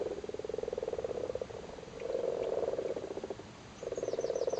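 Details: Frogs on spawn in a flooded Cork cattle grid, Ireland, spawning season; three bursts of low pulsed croaking, each about a second long, with a faint high chirp from a bird near the end.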